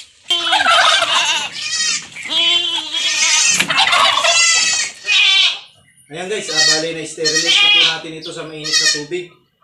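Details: Goat kids on a farm bleat loudly while being given iron injections to prevent stunting. Several harsh, wavering, strongly harmonic cries overlap in quick succession, with a short pause before another run of bleats.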